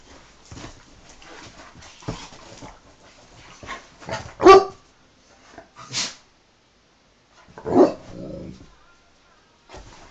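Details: Pair of male Dobermann dogs mouth-wrestling in play, with scuffling noises, several short barks and yelps, one loud bark near the middle, and a sharp bark sliding into a brief growl toward the end.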